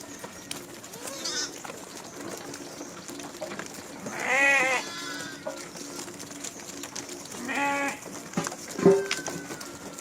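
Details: Farm goats recorded March 28, 2025, giving two separate quavering bleats a few seconds apart over a steady background hum, followed by a short sharp chirp-like sound.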